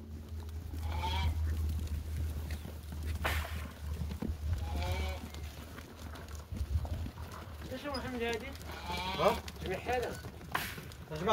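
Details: Moroccan Laroui goats bleating among people's voices: several quavering, trembling bleats come in short bursts, with sharp knocks and steady low rural hum behind them.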